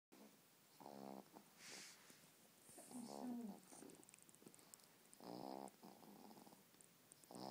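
A Boston terrier snores steadily, each inhalation a coarse, vibrating rasp with a nasal buzz. Between the snores come softer breathy hisses and brief whistling sniffs.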